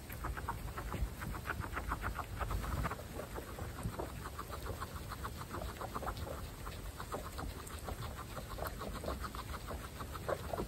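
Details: Butter's guinea pig family, all females, eating fresh grass: dense rhythmic clucking and chomping pulses, quick and overlapping, slightly fading after the first few seconds.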